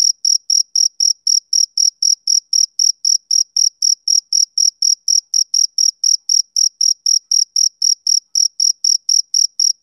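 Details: Male cricket on a summer evening, chirping in a steady, rhythmic series of short, high, pure pulses, about four per second, with no other sounds behind it.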